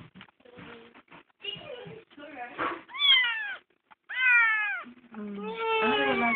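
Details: Adopted kitten, found crying on the road, meows amid Tagalog speech indoors; after murmured talk come several loud arched, descending meows in a row, the last drawn out and wavering.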